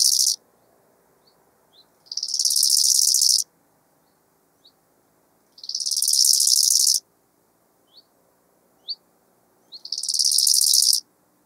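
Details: Bow-winged grasshopper from Hanfeld, Germany, 19 September 2021, giving repeated high buzzy phrases of rapid pulses, each about one and a half seconds, roughly every four seconds, with faint short ticks between phrases.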